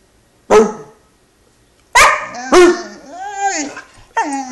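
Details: Tantruming 11-week-old Great Dane puppy made to climb onto the couch himself gives a single sharp bark, a pause, then two quick barks followed by a falling whine and another brief yelp.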